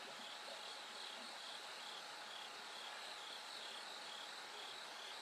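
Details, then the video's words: Insect chorus led by bell crickets at night, the sky slowly brightening: continuous high, rapidly pulsed ringing in two close bands, no pauses, over a soft hiss. "bell cricket Cry of falling insects"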